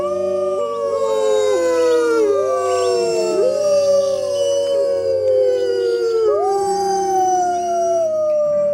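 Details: Wolves howling together: several long, smooth, overlapping howls that slide up and down and cross one another, each held for seconds, over a steady low musical drone.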